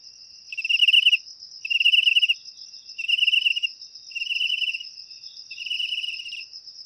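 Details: Shrill pulsed cricket chirps, said to repel rats indoors naturally, come in five evenly spaced bursts of about half a second each, roughly every 1.2 seconds, with a continuous high insect trill running underneath.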